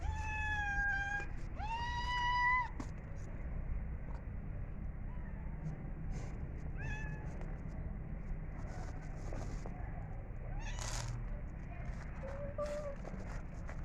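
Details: Cat meowing while eating food: two clear rising meows in the first three seconds, then scattered soft short mews, clicks and faint rustling over a constant low hum.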